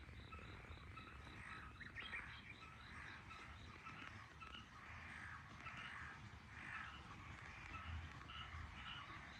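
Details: Frogs calling in chorus from a garden in Japan on 23 May 2022 at 18:34 in the evening: faint, rapid pulsed croaks repeat in bursts every second or so over a steady low rumble.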